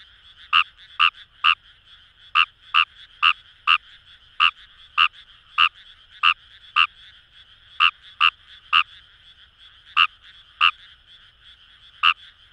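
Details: Fejervarya kawamurai in rice paddies near the Kamo River, Itoshima, Fukuoka: a long series of snappy, rasping croaks, sometimes in quick pairs, with brief pauses between groups, over a continuous background frog chorus.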